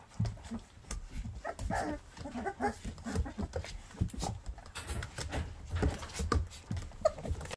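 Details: Llewellin Setter pups just over three weeks old play together indoors, mouthing and pawing at littermates, on 29 December 2019 at 10:32 am. Brief soft grunts and whimpers rise above steady scuffling, thumping and rustling of small bodies.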